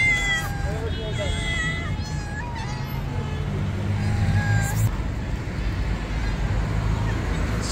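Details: Stray cats gather around a person during feeding, giving several clear, tonal meows, some rising and falling, in the first few seconds, while a man talks to them over steady low background rumble.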